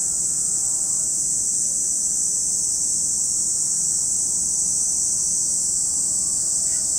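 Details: At Lake Kamo in Sado City, Niigata Prefecture, Japan, cicadas keep up an even, high, buzzing wall of sound; faint tonal hum from distant machinery wavers below, with a soft click near the end.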